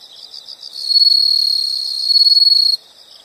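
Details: An insect's high shrill trill, heard in a soothing nature recording, rises from soft chirps into a loud sustained buzz with rapid pulsing near its end, then drops abruptly back to faint chirping.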